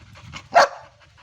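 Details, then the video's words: Ruby, a pet Labrador Retriever, 'talking': one short, sharp bark bursts out midway, loud and bright, against a low, soft rumble of background noise before and after. "क्या आप समज गये रुबीने क्या बोला ??"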